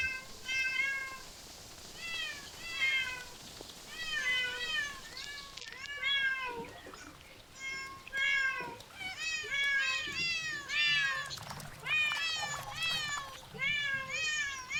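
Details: Cats calling in a near-continuous stream of high, arched meows that overlap one another, each rising then falling, with brief pauses around the middle and a faint low rumble underneath.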